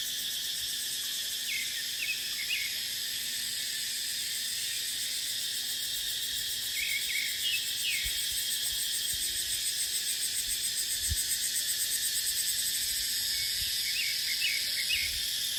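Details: Dry deciduous dipterocarp woodland in the dry season carries a constant shrill cicada buzz. Scattered brief chirping notes appear around two, seven and fifteen seconds, and a faint low thump comes near eleven seconds.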